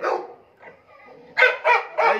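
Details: XXL American Bully dog giving three loud, rough barks in quick succession, each a short harsh burst, after a few quieter grunting sounds, with the room otherwise quiet.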